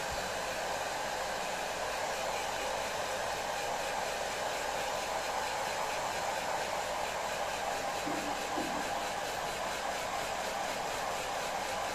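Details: Steady roaring hiss of a hair dryer runs the whole time, with nothing else clearly heard.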